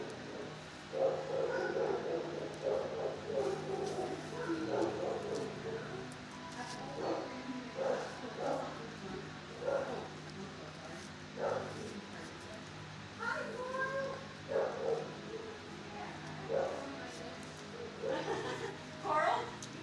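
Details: Adult shelter dog barking in a kennel before calming: many irregular barks and yips scattered throughout, some doubled, with a steady low hum underneath.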